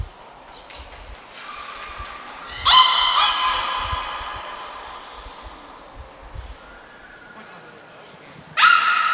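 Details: During training at Port of Nagoya Public Aquarium on February 25, 2024, beluga Nico gives a burst of harmonic squealing, followed by quieter tones and a high whistle before another sharp call at the end.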